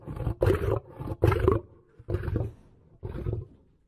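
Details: Lion giving a quick run of deep, grunting roars, roughly five bursts in four seconds, the later ones softer and trailing off.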